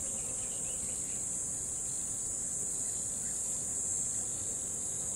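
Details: A cricket by a river sings a steady, high-pitched trill that runs without a break.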